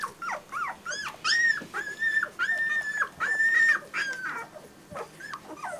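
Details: German Shorthaired Pointer puppies crying: long, steady, high-pitched whines held for about half a second each, interspersed with short upward-sliding yelps, coming in a quick uneven series.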